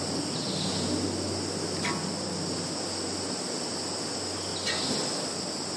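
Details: Steady shrill insect chorus from a field in Zhukovsky district, Kaluga region, Russia, 11 September 2019, phone recording; two short sharp rasping bursts stand out about three seconds apart over the constant high drone.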